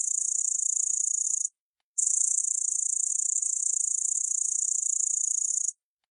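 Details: Grasshopper giving a continuous, very high, hissing buzz that lasts about a second and a half, breaks off briefly, then runs steadily for nearly four seconds more, with no other sounds.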